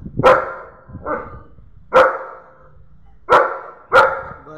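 A German Shepherd gives deep, sharp barks at irregular intervals, warning off a stranger.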